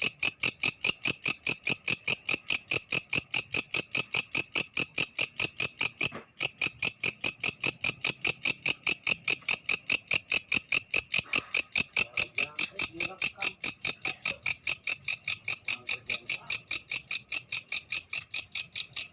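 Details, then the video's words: Night-calling grasshopper, belalang malam, giving a steady series of dry, high-pitched pulses about two and a half per second, evenly spaced and sustained throughout, with a single brief break early on; no other clear sounds. "Suara belalang malam"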